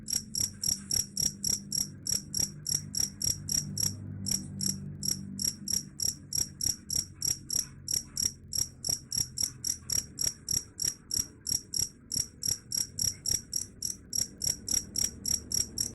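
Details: Chirping cricket, claimed to repel rats: a long run of shrill, evenly spaced chirps about three per second, briefly interrupted around four seconds, with a low background murmur.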